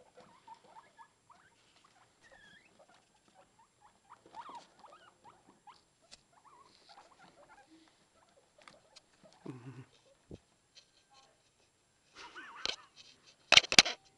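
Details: Newborn guinea pig babies popcorning and following their mother around, giving rapid high squeaky chirps and short rising peeps in quick uneven runs, then a lower grunting burst and some louder rustling and scuffling toward the end.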